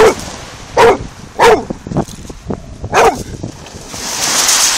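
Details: Bullmastiff by the sea, filmed with an Android phone, giving four loud, gruff barks in under four seconds with quieter huffs between them, then surf wash rising at the end.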